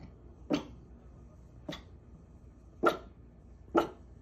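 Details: Scruffy pet dog barking out of a window, four short, sharp barks roughly one second apart, somewhat distant, with a quiet background.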